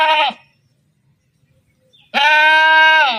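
A sheep gives two nasal, wavering bleats: a brief one, then a pause of almost two seconds, then a longer, steady baa lasting about a second.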